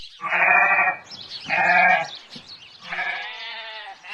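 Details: Domestic sheep bleating: three drawn-out, wavering bleats, each about a second long, separated by short pauses and rich in harmonics.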